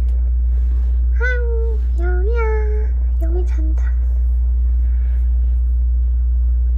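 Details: Weak rescued kittens, found huddled together as if leaning on each other while fading, give two drawn-out, slightly arching mews, then a few shorter clipped ones, over a steady low engine-like hum.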